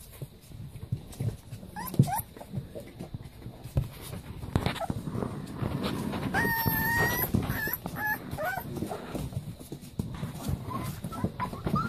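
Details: Playing Leonberger puppies whimper with a steady, thin, high whine held for about a second, among scattered squeaks and a rumbling, scuffling background.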